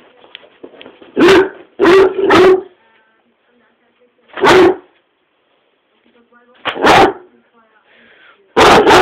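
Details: Angry dog throwing a tantrum on a sofa, one of many each day: loud, harsh barks in short clusters of one to three, separated by quiet gaps with faint low rustling.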